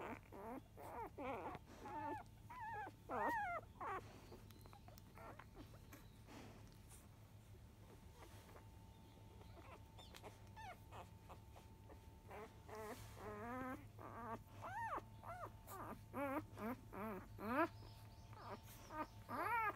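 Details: Newborn field-line Labrador Retriever puppies, five days old, nursing at 10 a.m. from their mother biscuit, 2017 JFA Grand Champion: repeated high, wavering, squeaky whimpers in clusters near the start and end, quieter murmuring in between, over a low steady hum.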